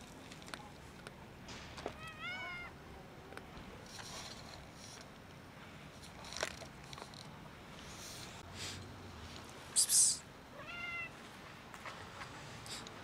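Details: Domestic cats, a big white cat and a black cat, eager for food on a cold day; two short, bending meows near the start and end, a sharp hissing burst between them, low background rustle and a whispered human 'psst'.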